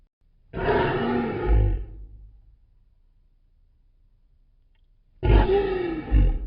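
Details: Deep, powerful lion roar, used to mark territory and keep contact with the pride: two long rumbling calls, each over a second long with a rough, grunting texture, separated by a few seconds of quiet.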